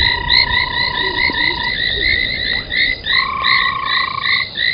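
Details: Several frogs gathered at an old foam nest beside a waterhole in South Africa at 03:40 in January: continuous short chirps in overlapping rows with a long steady whistle that breaks off and resumes higher.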